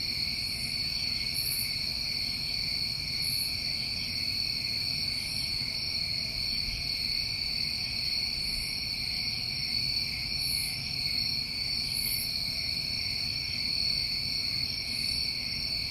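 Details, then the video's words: A New England summertime cricket chorus: a steady, shrill two-toned trilling that never stops, punctuated by short higher buzzes roughly every two seconds, over faint low rumble. "Over 1 Hour Of Tinnitus Masking With Crickets"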